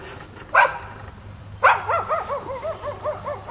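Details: Neighbour's dog, foaming at the mouth and charging, gives two sharp barks followed by a run of rapid, rising-and-falling yips repeated about three times a second, with a low steady hum behind.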